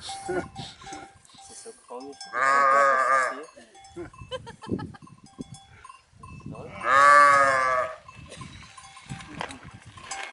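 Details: Two long, tremulous bleats about four seconds apart from black-faced sheep in the Swiss Alps near Zermatt, each a wavering nasal cry, with cowbells clinking and soft shuffling between them.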